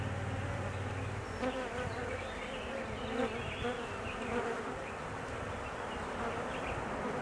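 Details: Anxious honey bees at a hive whose queen has left on her mating flight, gone about 45 minutes; a dense, even droning buzz throughout, with a low rumbling thud in the first second.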